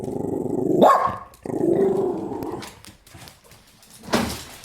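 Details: Two dogs barking at another dog, 31 January 2017; a low rumbling growl runs under a sudden yelping bark, then another growl, a quieter pause, and a final sharp bark.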